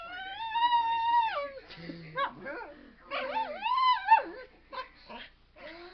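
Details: A dog who hates breezes on his face whines in a complaining mood: a sustained high wavering moan that drops off, then broken, bending yips and a rising-falling howl-like whine.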